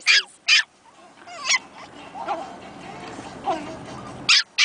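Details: Two Pomeranian puppies finding their voices, calling to each other indoors: a pair of sharp, high yaps opens and another pair closes the clip, with soft whimpering sounds and quiet gaps in between.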